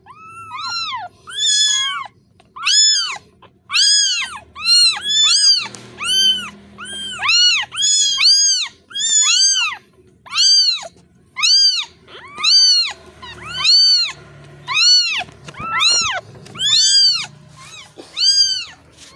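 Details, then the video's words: Kitten calling for its missing mother, a steady series of about nineteen sharp, arching meows, nearly one per second, persistent and high-pitched. "The sonud of a kitten losing its mother(Suara anak kucing memanggil induknya)"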